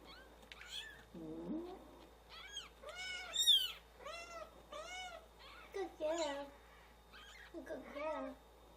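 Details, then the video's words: Newborn kittens crying while their mother is away: high, thin, arching mews repeated rapidly and overlapping, several callers, with a brief lower cry among them. "Newborn kittens cry when mom is away"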